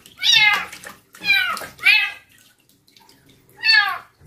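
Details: Female stray kitten taken in from a construction worker, crying during her first bath at night; four loud, high, harmonic meows, each arching and then falling, separated by short pauses, with little else audible.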